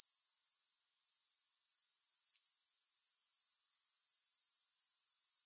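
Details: Shrill, rapidly pulsing high-pitched grasshopper trill with no music. It cuts out after under a second, leaving a quieter hiss, then builds back to a steady pulsing chorus from about two seconds on.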